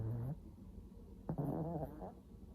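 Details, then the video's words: Samsuni, an old Shih Tzu after eye removal surgery and tooth extraction, snores: a low rumbling grunt, then a sharp snort followed by a longer buzzy, rattling breath, all deep-pitched. "시츄 삼순이의 코골이"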